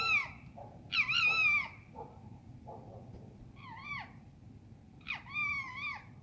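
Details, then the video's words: Urban fox screaming at night in London, England: four harsh, drawn-out harmonic cries with wavering, bending pitch, separated by short pauses of a second or more, over a low steady background hum. "Foxes scream at night in London"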